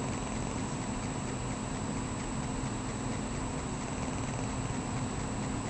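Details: Sleeping domestic cat named Maggie snores, giving an even, continuous low raspy rumble with no pauses, set against a constant thin electrical whine.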